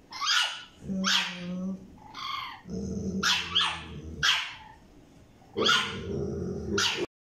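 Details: Small French Bulldog puppy and a Staffordshire Bull Terrier squabbling over a toy indoors: loud harsh barks and squeaky yaps over continuous low growls, several barks in quick succession.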